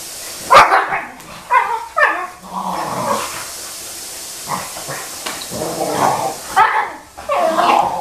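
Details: Young Boxer dog barking while pestering his older sister, both pets indoors; loud, rough barks and yips come in uneven bursts of one to three, with short growly whines between and quiet pauses around the middle.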